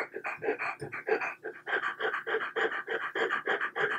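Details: French Bulldog panting while being fed light string cheese indoors, quick rhythmic breaths repeating steadily almost twice a second, each huff airy and breathy, close and clear with nothing else heard.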